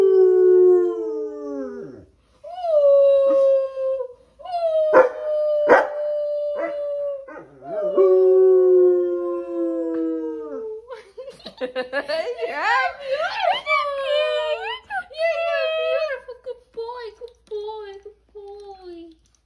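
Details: Basset Hound howling indoors: long wavering howls that slide downward, each lasting two to three seconds, then a busier stretch of overlapping, yipping howls that rise and fall, with no music behind.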